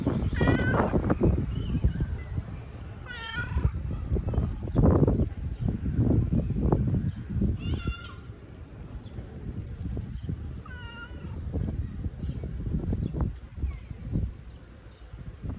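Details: Affection-seeking tabby cat meowing several times, short quavering cries spaced a few seconds apart, amid loud low thumping and rustling handling noises close by.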